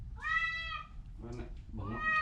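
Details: Orange cat, sick with a cough and cold, gives two drawn-out harmonic meows, the first long and steady, the second rising, with a soft nasal sound between them and a person speaking quietly in a small room.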